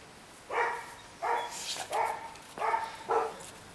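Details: Female Rottweiler barking: five short, rough, mid-pitched barks in quick succession over about three seconds, spaced roughly two-thirds of a second apart, with faint background hiss and no other animals.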